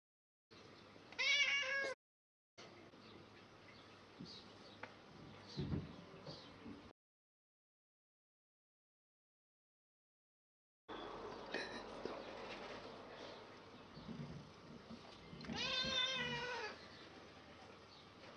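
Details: An angry cat gives drawn-out, strained meows with rich harmonics, one early and a longer one near the end, over a steady rush of wind with a silent gap in the middle.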